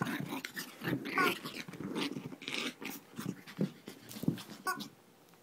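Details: Shih Tzus in a small play fight in Kochi, Japan: short gruff growls and snorting bursts come in quick uneven spurts, with a brief squeak near the first second and quiet scuffling between them.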